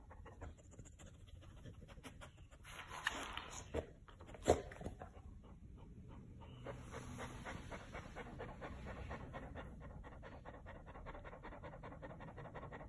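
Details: Fluffy Chow Chow panting on a very hot day near a block of ice meant to cool him down; quick regular breathy pants running through most of the clip, with a few sharp knocks early on.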